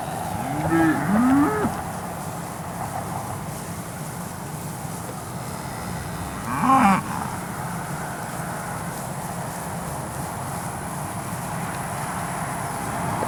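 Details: AAA Farms steers in Marianna, Florida, offered at an August 2013 Moseley Cattle Auction sale. Quieter, more distant lowing: a wavering moo near the start, a brief one a few seconds later, over steady low background noise.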